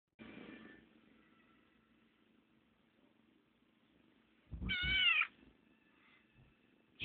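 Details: Squeaky meows from a small chubby kitten, male, at home: one faint harmonic meow at the start, then a louder, rising-falling squeaky meow near five seconds, with soft background hum.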